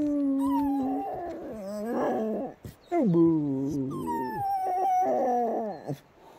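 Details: Patterdale Terrier singing: long wavering howls with sliding pitch, broken into several drawn-out phrases with short gaps, some rising then falling sharply, ending in a falling whine.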